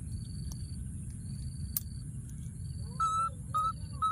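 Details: Baby monkey, wild, hidden in a thorny tree and calling for his friend: three loud, level whistled cries in quick succession at the end, following a stretch of only low rumble and periodic high insect-like pulses.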